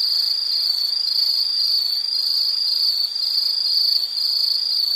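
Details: Loud, high, continuous insect trill for relaxation, a bright ringing tone holding steady with light rhythmic flutter and no pauses.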